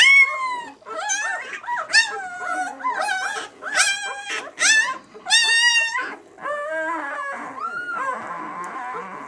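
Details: Newborn White German Shepherd pups, six days old, B litter "of White Night": a steady run of shrill, arched whimpers, about one every half second, fading into quieter whines at the end.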